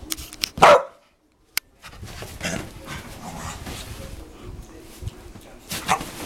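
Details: Dogs at play: a sharp, short bark near the start, then a silent gap and soft scuffling and shuffling noises, with a second brief bark-like burst near the end.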